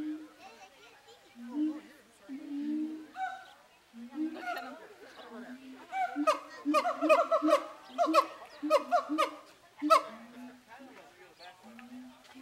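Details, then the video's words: Hooting and shouting siamangs in a Zooworld enclosure before Zoobilee: low booming hoots at first, building into a run of rapid, ringing barked shouts, then easing back to spaced low hoots. "Siamangs singing"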